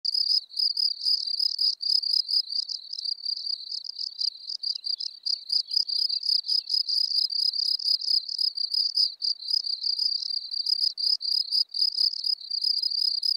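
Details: Field cricket calling at Elsbethen, Austria, on 24 April 2020, recorded with noise removal: an unbroken run of high, shrill chirps, each a quick trill of pulses, repeated several times per second without pause.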